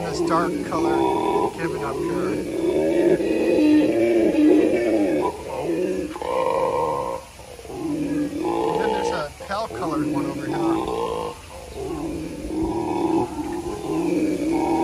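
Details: Howler monkey howling at the San Antonio Zoo, the call coming from a dark-colored captive monkey; long, deep roaring howls in sustained rasping waves with short breaks, overlapped by people talking nearby and some music.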